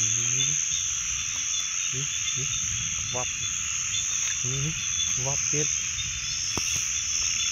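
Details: Several low, deep frog croaks, some stretched and buzzy, others short and clipped, spaced irregularly over a steady high-pitched hissing chorus, with a sharp click near the end.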